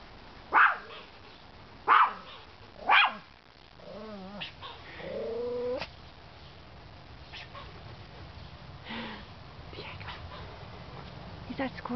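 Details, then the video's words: Chihuahua barking at a squirrel perched high up: three sharp, separate barks in the first three seconds, then a wavering whine, with a woman speaking softly to the dog. "The Squirrel vs the Chihuahua"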